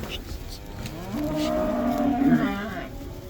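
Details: Black cows in the Netherlands going back out to pasture in the spring release known as the cow dance; a drawn-out low moo swelling in the middle, with a second cow lowing faintly behind.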